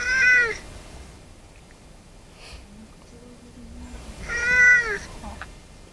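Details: Nekotaro, one of the stray cats of Tashirojima island, Japan, recorded in 2015: two clear, ringing meows about four seconds apart, each short and slightly falling, with quiet outdoor background between them.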